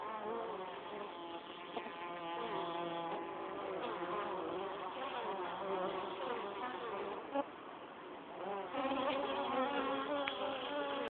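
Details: Honey bees entering the hive with pollen, a busy swarm buzz where individual bees' wing tones glide up and down over a steady drone, swelling louder near the end.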